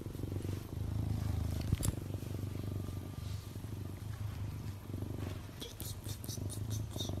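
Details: Playful male serval kept as a pet indoors, purring in a steady low continuous rumble throughout, with a few faint clicks and soft human sounds in the background.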